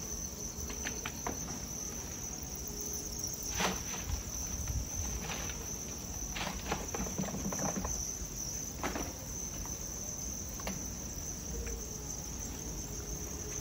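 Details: Many crickets on a farm in Hanoi, Vietnam, keep up a constant high buzzing trill for the whole stretch. Repeated clicks, rustling and footstep-like taps are scattered through it.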